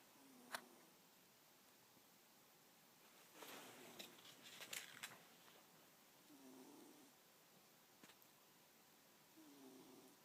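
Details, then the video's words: Sleeping cat Abigail snoring next to a cat bookmark; low whistled snore breaths come and go among a burst of sharp rustling and clicking handling noises near the middle. "Snoring Cat"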